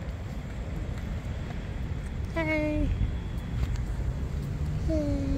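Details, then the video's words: Stray cats in a large, multicolored group in a yard, hungry at feeding time. Two separate plaintive meows sound about two and a half seconds apart, each steady and then sliding downward, against a steady low background drone. "The largest gathering of cats of various colors in the Cat Yard, but they are hungry."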